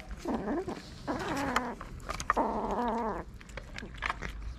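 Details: Hungry street cats in Morocco waiting to be fed: three strong meows in quick succession, the last long and wavering, each rich in harmonics, with low steady rumble and light clicking noises between them.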